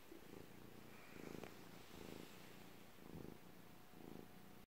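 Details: Rhythmic purring of a domestic cat, deep buzzing rumble pulsing roughly once a second as it breathes in and out, with a faint tick near the middle before it stops abruptly.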